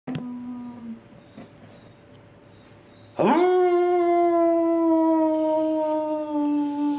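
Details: Labrador Retriever named Webber, a 60-pound adult male dog available for adoption, howls: a long, steady, harmonic-rich tone that swoops up sharply then holds level for about four seconds, sliding slightly lower; a short earlier whine precedes it.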